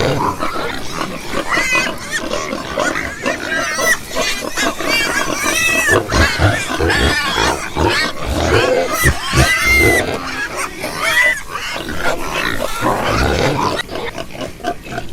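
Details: Several pigs squeal and grunt at once, with wavering high-pitched squeals arching up and down over a steady bed of harsh grunting and snorting.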